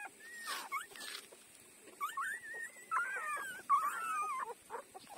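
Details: Five-day-old puppy suckling from its mother, giving thin, high squeaky whimpers that waver up and down, with several drawn-out wobbling whines in the middle and soft rustling, clicking bursts between them.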